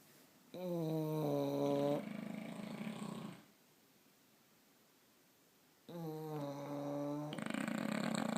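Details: Two English Bulldogs snore loudly in long, rasping breaths with a droning, buzzy tone.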